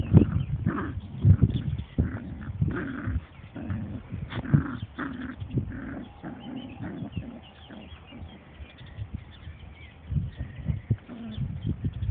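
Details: Dandie Dinmont Terrier mother playing with her puppies and other dogs: low rumbling growls and grumbles in irregular bursts, with scuffling and higher yips mixed in.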